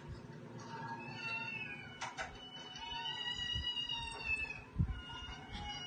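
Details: Indoor pet cats Katty and Pchie: a drawn-out, wavering meow with long level harmonics across the middle of the clip, plus brief clicks and thuds in a quiet room.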